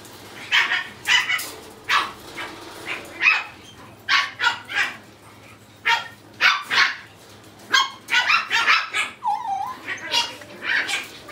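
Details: Puppy weighing two kilograms yapping repeatedly, short high barks in uneven bursts of two or three, roughly every second, with a brief whining note near the end.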